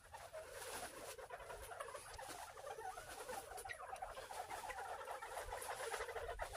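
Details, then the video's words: Group of farm-raised Northern bobwhite quail giving happy sounds: dense, soft twittering and clucking notes from several birds at once, continuous and uneven in rhythm, over a light hissing background. "Bobwhite Quail Happy Sounds"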